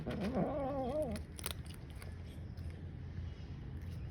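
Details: Grey and white female cat eating her food, warning off another cat lurking nearby: a wavering, moaning growl lasting about a second, rising and falling in pitch, followed by chewing and clicking noises from eating.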